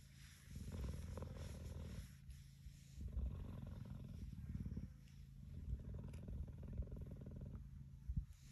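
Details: Cheetah resting with its head on a man's knee like a pillow, giving a low, continuous rumbling purr that swells and fades in slow pulses, with soft handling noises.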